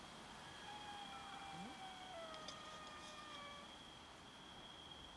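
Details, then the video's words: Domestic cats meowing as they fight over food: several overlapping, drawn-out meows, some sliding gently downward, over a steady high-pitched electrical whine and a faint background hiss. "Cats meow and fight each other over food"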